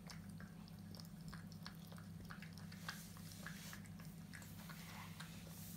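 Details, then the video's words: A Frenchie puppy eats, giving faint, irregular crunching and wet smacking ticks spread across the clip, with a constant low hum underneath. "ASMR Frenchie Puppy Eating"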